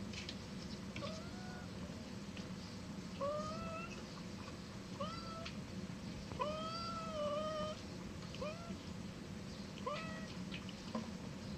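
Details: Domestic cat meowing repeatedly, a series of about eight short, rising then falling mews with clear harmonics, spaced roughly one to two seconds apart, over a steady low background hum.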